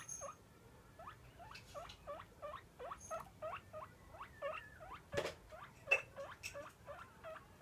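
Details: Pet guinea pig Roko begging for food at mealtime with repeated upward-sweeping squeals, each short and sharp, coming in a lively run; a few clicks and knocks sound around the middle.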